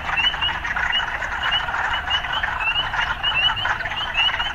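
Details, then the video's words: Dense chorus of urban frogs, rasping and continuous, crowded with quick rising chirps that come several per second in uneven runs. "Urban Frogs"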